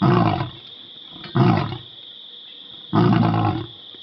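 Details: Pride male lion named Zero at Karongwe Game Reserve in South Africa voicing displeasure at people nearby: three heavy, rasping roar bursts about a second and a half apart, separated by quieter pauses over a constant thin high whine.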